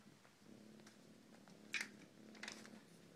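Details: Kittens up for adoption at The Animal House in Damariscotta, Maine, at play: a soft, low, steady purr runs beneath light clicks and taps from movement, with two brief louder rustles.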